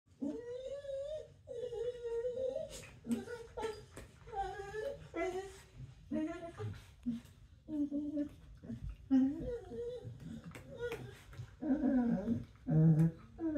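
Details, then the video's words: Corgi making funny whining, groaning noises while playing bitey face indoors: wavering, moaning tones in repeated bursts, some rising and falling, with short grunts and a person's voice now and then. "Corgi Bitey Face - Floor Walrus Edition"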